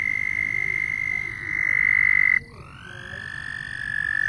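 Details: Loud frogs: a steady high trill breaks off abruptly halfway through, then after a moment a second, softer caller rises in and settles into an even, slightly lower sustained trill.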